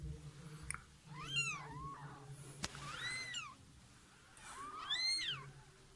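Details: Domestic cat that slipped into a neighbour's house, meowing while giving birth to kittens; three drawn-out, arching meows about two seconds apart, with a low indoor hum underneath.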